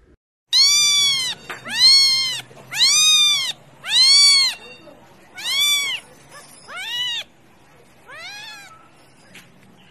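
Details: Domestic cat meowing repeatedly, a series of about seven loud, harmonic-rich arched meows spaced roughly one second apart, the last few weaker and fading, over a quiet background.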